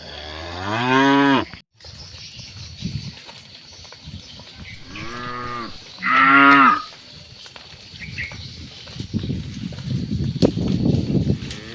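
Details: Cattle mooing during evening herding at sunset: three drawn-out, harmonic-rich moos, the first and last loud and about a second long, with a softer one between, over a low rural background rumble.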